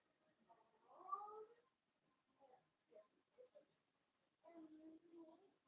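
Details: Cavalier King Charles Spaniel puppies of blenheim colouring at play with their mother indoors, one of a litter of five born at New Year; a quiet rising, harmonic whine, short muffled yips, then a longer level whimper near the end.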